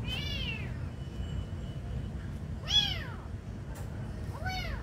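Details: Kitten being fed meows three times, each call a clear arched cry with stacked harmonics, spaced about two seconds apart, with a low background hum throughout.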